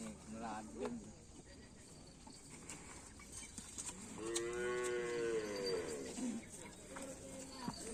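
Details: {'caption': 'Bull at a Karapan Sapi bull race training session at a field in Asemanis, giving one fairly faint, drawn-out moo that slides downward over nearly two seconds, with music and crowd noise around it.'}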